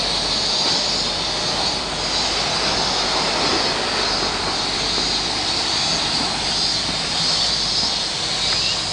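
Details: Cicadas heard on a summer walk: a dense, unbroken buzzing hiss that holds steady throughout and swells slightly in waves, with no other clear sounds above it.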